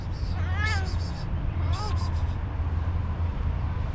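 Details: A hungry orange cat meowing for food: two rising-falling harmonic meows about a second apart, then only a steady low rumble of background noise.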